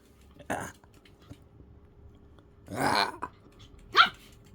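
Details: Rescued shelter dog adjusting to its new home gives three short, harsh bark-like bursts spaced a second or two apart, the last one sharp and high, with a person's voice nearby.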